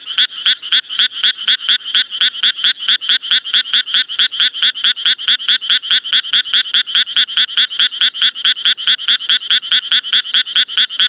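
A Japanese tree frog gives a long, unbroken series of raspy, quacking notes, a few each second. The bright, grating croaks keep an even rhythm and loudness throughout, with no other sounds to be heard.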